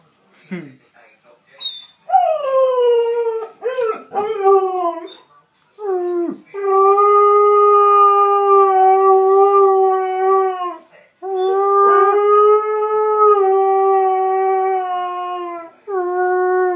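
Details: Loki, a six-month-old Alaskan Malamute puppy, howls: short yips and rising whimpers give way to long, steady, even-pitched howls held for several seconds, with a brief break between two sustained stretches.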